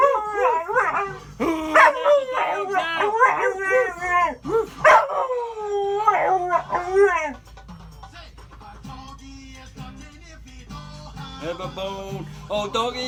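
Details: A male Australian Cattle Dog (blue heeler) service dog "sings" along to "Who Let the Dogs Out", howling in wavering, sliding notes over music with a person speaking nearby.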